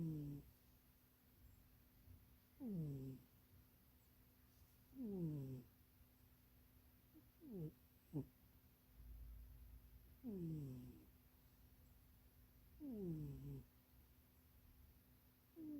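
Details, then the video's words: Munchie, a pet cat dozing and dreaming inside a box that is too small, snores in a steady rhythm, about six falling harmonic breaths over sixteen seconds, with a couple of short sharp clicks between. "Munchie kitty snoring and dreaming"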